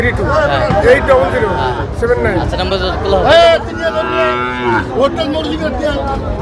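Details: Small calves about five to six months old at a market in Bangladesh, with several short rising-falling moos mixed with men talking and crowd chatter.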